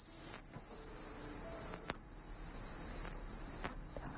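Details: Water boatman (Corixa), a small aquatic bug common in rivers and ponds in summer, stridulating underwater; a dense, continuous high-pitched fizzing chorus with a few faint clicks, recorded beneath the surface.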